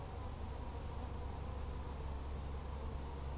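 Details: Honey bees in a nuc colony during a mid-July hive inspection, 17 July 2020, frame of honey mostly gone; steady dense low buzzing hum throughout, continuous without breaks.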